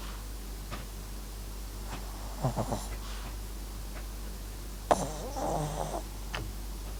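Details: Asleep, the Papillon–Japanese Chin cross MAX lets out a short wheezy snore, then a longer, rattling snort-like breath a few seconds later, with small clicks and a quiet hum throughout.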